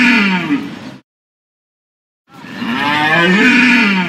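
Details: A deer bellow ends, and after a pause of just over a second another long, moaning call begins. It is harmonic and slightly wavering in pitch, with no background noise.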